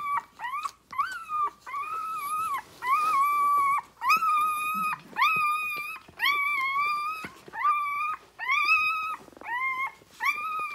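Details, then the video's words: Rhodesian Ridgeback puppies six days old, crying loudly while nursing on their mother: a run of about ten sustained, slightly wavering whines, each roughly half a second to a second long, separated by short pauses. "6 day Old Rhodesian Ridgebacks"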